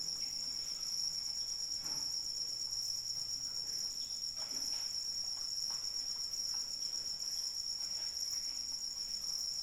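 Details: Unbroken shrill chirring of crickets in rain, high and steady throughout, accompanied by scattered soft drip and patter sounds.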